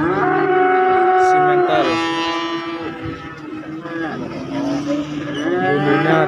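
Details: Cattle at a market selling calves and young bulls: a sustained lowing moo, then a softer drawn-out call and a final rising moo, over background chatter and a passing vehicle.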